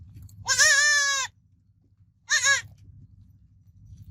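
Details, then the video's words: A goat kid bleats twice: a long trembling cry of nearly a second, then a shorter quavering one after a pause, over a steady low hum. "Baby Goat Sounds Babbling Sound Effect Goat Kid Sounds Effect"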